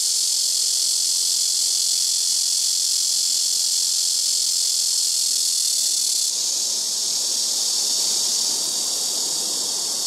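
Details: Blackish cicada, called malmaemi, singing very loudly from trees by a home rooftop: a continuous, dense, high-pitched hiss-like drone holding steady throughout, with a slight shift in tone partway through.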